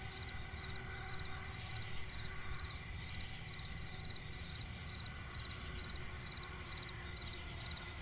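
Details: Forest crickets at night, a swamp setting, giving rapid high chirp bursts layered on a constant ringing trill, with faint low background noise beneath.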